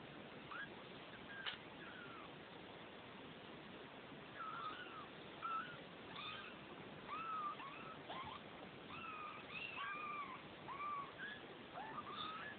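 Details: Two-week-old Neva Masquerade kittens from a Czech cattery litter, several thin high mewing cries overlapping and rising and falling, coming in scattered bursts from mid-clip onward over a steady hiss.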